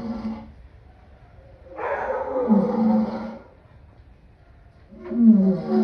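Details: Lion giving deep, hoarse roaring calls in three separate bursts, the loudest in the middle lasting about two seconds, with quiet gaps between them and no other clear sounds.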